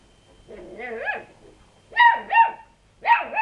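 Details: Lurcher cross puppies braving up to their household cat: a soft rising whine, then three sharp, high yapping barks close together.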